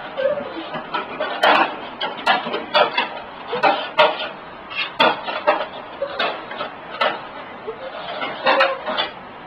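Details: An elderly pug, sixteen years old, searches for a hot dog, snuffling and snorting in irregular bursts with brief gaps, while dishes clink lightly in the background.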